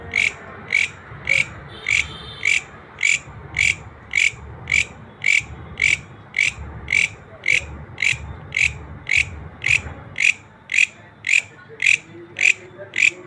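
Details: Green grasshopper calling naturally: sharp, buzzy clicking pulses repeated steadily about twice per second, each a short rasp, with faint low rumbling in the background.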